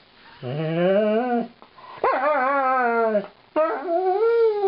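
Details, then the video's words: Female Alaskan Malamute howling mournfully at her owners during brushing: three drawn-out rising and falling woo-woo howls with strong harmonics, each about a second long, indoors. "My Funny Malamute - "Lightning" Sings the Brushin' Me Blues"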